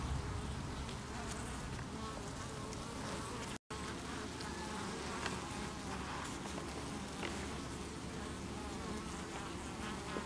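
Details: Honey bees defending their hive against beewolf wasps (Philanthus triangulum), 8 August 2018, chaining beneath the landing board. A steady, dense buzzing drone, briefly cut by a short silent gap, then resuming unchanged.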